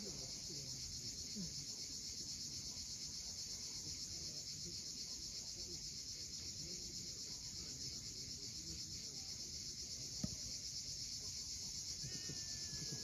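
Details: Continuous shrill cicada chorus at sunset on Crimea's steep Cape Fiolent coast, finely pulsed and unchanging for the whole stretch, with low sea noise beneath and one sharp click.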